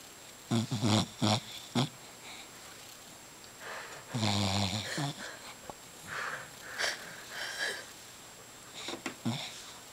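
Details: Emily, a pet dog napping loudly with cheek puffing, gives rough wheezing snores in uneven bursts, some low and rumbling, others breathy and hissing, over a quiet indoor background.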